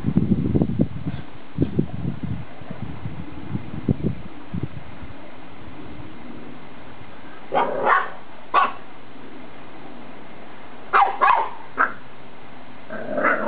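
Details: Boxers at play: Naboo, a six-year-old adult, is unimpressed as Indie the puppy tries to wind her up. Low rumbling scuffles open, then short high yips and sharp barks come in paired bursts near the middle and end.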